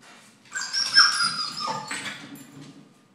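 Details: Scottish Terrier going wild over a squirrel on a neighbour's roof, giving a high, drawn-out excited whine lasting about a second and a half that breaks and drops in pitch near the end, then tails off.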